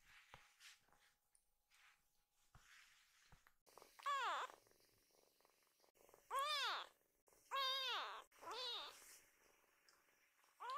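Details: Baby foster kitten Kiki, happily running to her mother after leaving a person's arms. Soft rustling gives way to four clear, arched meows spaced about a second or two apart, each rising then falling.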